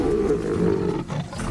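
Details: Lion roaring amid a feud between two rival prides in African savanna: a deep, sustained low rumbling roar held for over a second, with a brief dip in loudness near the end.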